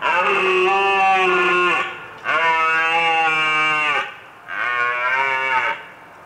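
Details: A red deer (Cervus elaphus) roars three times, each a drawn-out, rich, throaty bellow under two seconds long, repeated about every two seconds.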